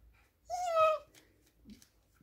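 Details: Rhodesian Ridgeback puppies just before falling asleep; one high, tonal whine of about half a second, steady then slightly falling, followed by soft rustling and quiet.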